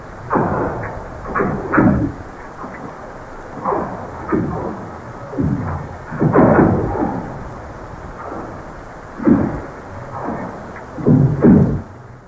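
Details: North Pacific right whale gunshot calls, a primary call type for this endangered whale and also used in song: sharp, booming, impulsive cracks recurring every few seconds underwater.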